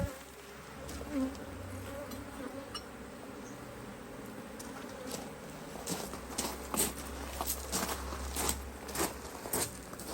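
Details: Busy honey bees at an open Australian Hive IQ hive during a box addition in mid-autumn; continuous low droning hum with individual bees flying past close, plus tapping and scraping of hive parts.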